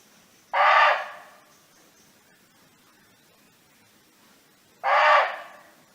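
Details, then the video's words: Free-roaming barking deer in a natural setting, calling for its friends: two short, rasping, explosive barks about four seconds apart, each fading quickly, with quiet background between them. "เสียงร้องของเก้ง (Sound of Barking Deer)"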